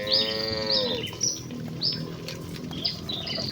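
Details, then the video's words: Excited village cattle herd running to the pen: a single falling moo fills the first second, while small birds chirp repeatedly at a high pitch in the background. "Kawanan sapi lembu yang berlarian menuju kandang dengan kegiranganan dengan suara moo khas sapi desa"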